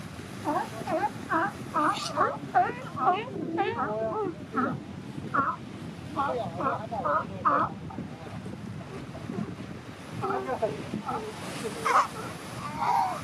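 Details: Newborn California sea lion pup among mothers and pups on a California shore, disturbed and restless in the morning, crying in bursts of short wavering bleats, many in quick succession, over steady wind and surf.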